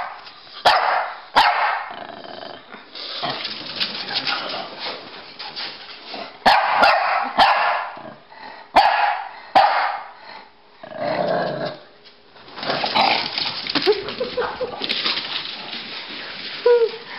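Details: Playing chase, a Pekingese and a Bulldog called Rocky and Bully exchange bouts of harsh barking, yips and growls, with short pauses between noisy bursts and some scrambling sounds throughout.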